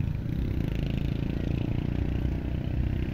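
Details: A steady low engine rumble with clattering, like an idling vehicle, and no animal voice. No calls from goats or any other animal come through.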